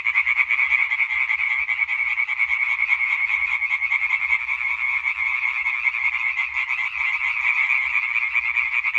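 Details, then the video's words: European tree frogs in full concert, recorded 20 May 2023: an unbroken wall of quick, harsh croaks from several callers overlapping, rhythm irregular, volume steady from start to end. "Hyla arborea Konzert Concert"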